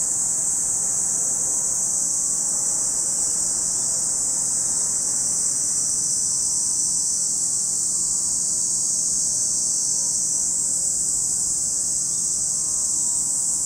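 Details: A chorus of cicadas at Lake Kamo, Sado City, Niigata Prefecture, Japan, producing a continuous shrill hiss-like buzz without pauses, and a soft low rumble in the background.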